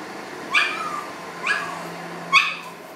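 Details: Leo the pug, indoors at a studio in Portland, Maine, serenading a passing city worker friend; three short, sharp yappy barks about a second apart, with a low steady hum underneath.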